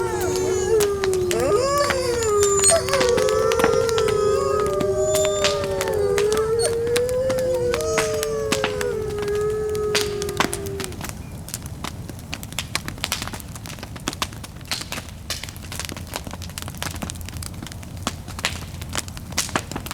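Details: Distant wolf howls on a cold winter night beside a crackling bonfire: overlapping drawn-out howls rise and fall for about ten seconds, then fade, leaving only the popping and snapping of the fire.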